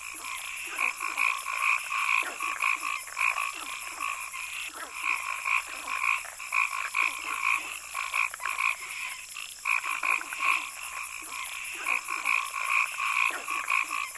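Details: Frogs in a forest keep up a busy chorus of short ringing croaks, about two each second, pausing briefly now and then, with a persistent high hiss throughout.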